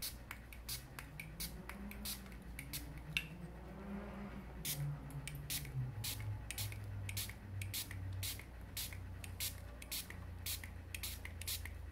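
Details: Sharp spraying bursts and clicks over a low hum indoors, with no animal calls heard. A faint wavering tone rises and falls in the middle of the recording.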